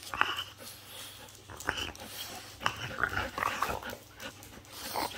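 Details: French Bulldog in an aggressive mood inside a small room, making wheezy, rasping growls and short nasal squeals in irregular bursts, some louder spikes between quieter breathing.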